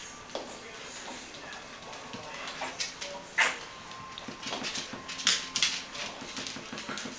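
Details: Five Bichon Frisé puppies, five weeks and two days old, at a kennel in Vejle, Denmark, give thin, faint whimpers and short squeaks amid constant indoor rustling and scratching, with one louder yelp near the middle.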